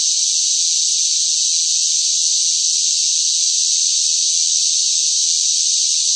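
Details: Cicadas calling noisily during a summer heatwave; their sound forms one constant, high, sizzling drone with no gaps or changes in volume, and nothing else audible behind it.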